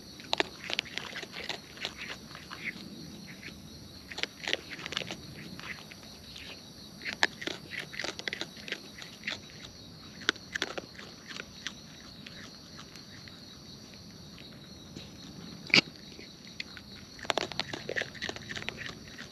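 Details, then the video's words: Raccoons in the wild, feeding close up: runs of quick crackling bites and wet smacking clicks, pausing briefly then resuming, with a continuous high-pitched drone behind them. "Wild Raccoons & ASMR Chewing Sounds"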